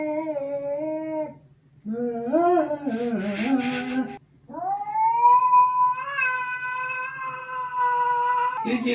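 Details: Domestic cat yowling a warning during a first, stressful meeting with another adult cat, Huie and Eugi, indoors. Short wavering wails lead into one long, rising then sustained howl lasting several seconds over a constant low hum.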